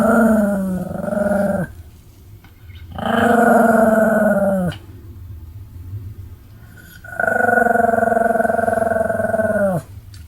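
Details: Pomeranian dog, recorded 25 July 2015, making three long drawn-out, buzzy moaning growls, each lasting one to two seconds and slightly falling at the end, separated by short pauses with low background hum.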